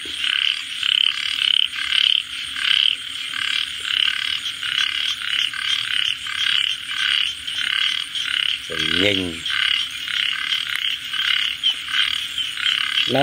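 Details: Repeated raspy frog croaks, pulsed and buzzy, come at nearly two per second in a loose rhythm against a hissing background. One brief wavering, quavering sound interrupts midway.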